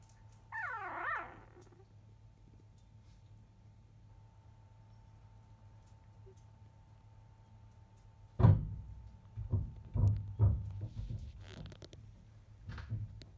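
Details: Five-day-old field-line Labrador Retriever puppy, left alone just after 1 pm while the mother dog is away eating; one thin, wavering whimper at the start, then a stretch of quiet followed by soft thumps and bumping sounds.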